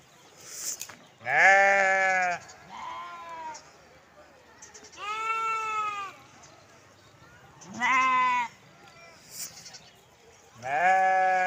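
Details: Sheep and lambs calling: four loud harmonic bleats spaced a few seconds apart, some deeper and some higher and shakier, with faint softer bleats between them.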